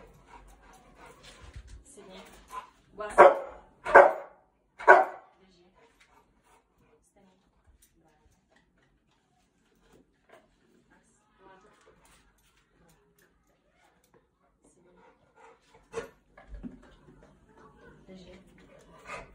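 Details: An 8-month-old male Cane Corso from a kennel works on obedience exercises with his owner. Three loud, deep barks come about a second apart early on, then near silence with faint rustles and a few soft sounds near the end.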